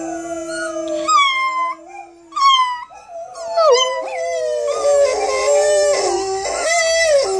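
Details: A Chinese Crested Powderpuff named Miko practises howling: short rising-then-falling yips open, followed by longer wavering howls that swell and hold, with a second voice-like tone layered underneath toward the end.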